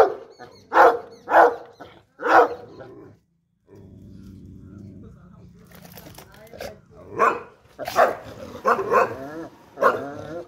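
A French Mastiff gives deep, booming barks in short bursts, with some voices in the background.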